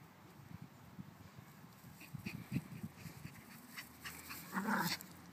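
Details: Small dog during a game of fetch, with a Pomeranian and a Pomeranian-Chihuahua mix involved; soft panting and scuffling build into a brief, high whiny whimper near the end.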